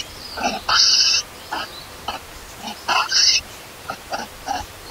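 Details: Hungry baby monkey crying loudly after its mother leaves it alone: loud, strained screams with bright high harmonics, broken into bursts about a second apart, with softer whimpers between them.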